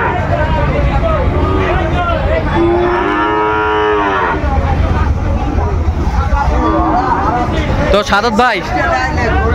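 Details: Sahiwal bull calf at a sale in Jessore, Bangladesh, where 24 bull calves were bought on 12 September 2025: one drawn-out, slightly rising moo of about a second and a half amid steady crowd chatter and traffic rumble.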